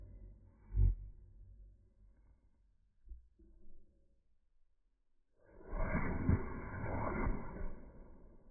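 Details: Cocker spaniel sneezing, played back in slow motion: a brief low thump near the start, quiet snuffles, then a long, drawn-out, deep rushing blast with layered tones that slowly fades.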